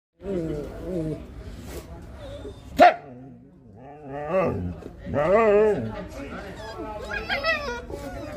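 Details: Siberian Husky 'talking' to a husky puppy to calm it: wavering, howl-like moaning vocalizations rising and falling in short bursts, mixed with a person repeatedly saying 'hey' and a sharp knock.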